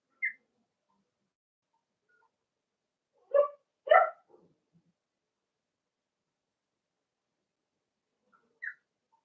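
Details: Cavalier King Charles Spaniel puppies playing in a home puppy pen: a few short high squeaks at the start and end, with two quick, louder yapping barks close together in the middle and silence between.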